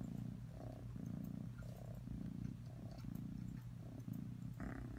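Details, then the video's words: Atreyu, a cat, purring in a low rhythmic rumble, each breath making a separate block of buzzing vibration about every half second. "Atreyu purring"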